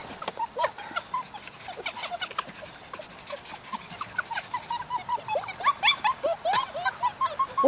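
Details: Dutch Shepherd puppies from a litter of four males and three females born July 18th 2013, giving a rapid chorus of short, high squeaky yelps that thicken and grow louder toward the end, with faint background hiss.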